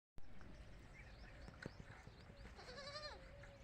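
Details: Baby goats on a goat farm, kids calling when apart from the adult goats: a fairly faint, wavering, harmonic bleat near the end, with softer calls earlier over steady low farm noise.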